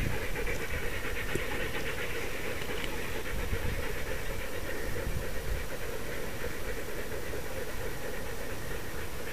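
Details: Sled dogs in the 6 Dog heat of the Wild Dog Derby, a 2012 sled dog race in South Australia: fast, steady, breathy panting runs throughout over a low rumble of wind.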